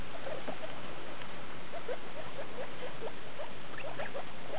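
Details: Skinny guinea pig named Daisy with her babies from litter E2, born 2.8.2012, recorded 19.8.2012 at CHS Luna; a run of short, rising high squeaks repeats through the clip over a steady low rumble.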